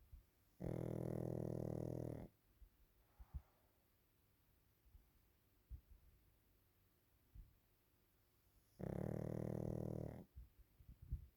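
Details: A Pekingese dog snores while napping indoors. Two loud, steady, rumbling snores last about a second and a half each, about eight seconds apart. Soft breathing ticks are heard between them.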